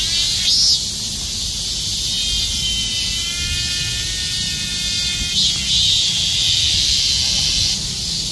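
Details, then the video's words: Numerous cicadas clustered together like bees, calling at once in summer: a dense, unbroken high-pitched hiss that holds steady for the whole stretch, with faint fainter whining tones beneath it. "수많은 매미가 벌처럼 달라 붙어 울부짓는다, numerous cicada calls"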